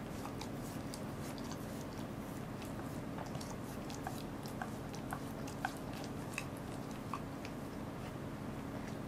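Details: Goro, a Welsh Corgi, eating a fish on 2 August 2014. Steady, crunchy bites and wet chewing clicks come every fraction of a second over a low, constant hum.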